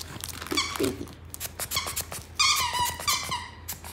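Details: Maltese puppy at home making high, squeaky whining vocalizations in short bursts, some drawn out with wavering pitch, while a woman speaks in Korean in the background.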